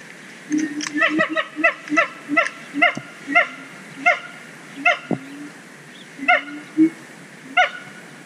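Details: Siamang, an endangered gibbon, at Zoo Dortmund sings a steady series of short, loud, barking hoots spaced about half a second apart.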